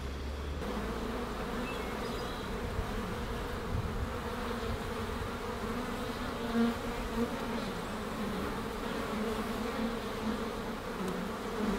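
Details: A rescued Western honey bee (Apis mellifera) swarm, newly placed in a rooftop sanctuary in June, buzzes with a steady, low, droning hum of many wings.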